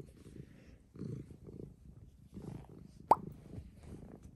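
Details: Milo, a pet cat described as angry, purring indoors: soft, low rumbling pulses in uneven bursts about every half second, with one sharp click near the end and faint room noise.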